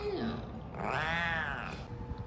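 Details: Domestic cat giving a single drawn-out meow, richly harmonic, rising then falling over about a second, preceded by a brief lower sliding note and a steady background hiss.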